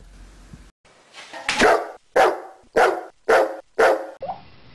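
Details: Dog barking, five sharp, loud barks in quick succession about every half second after a short quiet start, each bark a broad burst with a clear tonal core.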